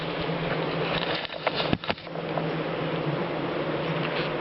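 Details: Dark bee colony in a top-bar hive during a short comb inspection, a steady low hum broken by knocks and handling thumps near the middle as a comb is lifted.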